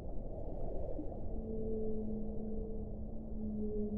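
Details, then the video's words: Whale underwater, faint drawn-out tonal moans held steady for several seconds, overlapping at two pitches, beneath a constant low rumbling wash of water noise. "1 ora di suono delle balene"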